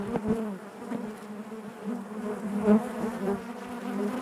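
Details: Inside a honey bee hive, the colony makes a continuous droning hum, layered and low, with gentle rises in intensity and a sharper close buzz near the end.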